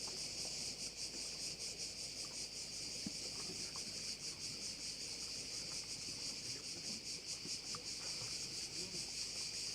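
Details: Insect chorus of crickets by a bay on Korčula in Croatia, a continuous high, hissing buzz that pulses quickly and unevenly, with a low steady hum underneath.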